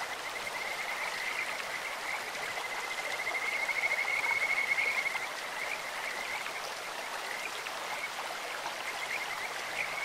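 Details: Kajika frog voices rising from a clear-flowing stream: one sustained, high, rapidly pulsed trill swells midway through, with faint chirps elsewhere beneath the continuous rush of running water.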